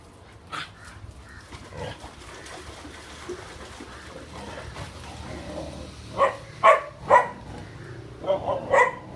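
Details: One-month-old mixed breed puppy, a female put up for adoption after being dumped in a box by a roadside with four siblings; soft muffled sounds early on, then a cluster of short high yips and barks in the last few seconds.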